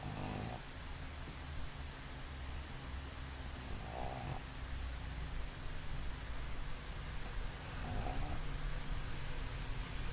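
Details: Mozuku, a black pug newly arrived at home, sleeps sprawled in an unguarded pose and snores: rough, breathy snorts roughly every three to four seconds over a steady indoor hiss.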